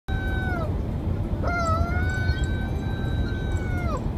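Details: Pet dog howling, a short falling note followed by a long sustained tonal howl of about two and a half seconds that holds steady then drops at the end, over a low steady background rumble.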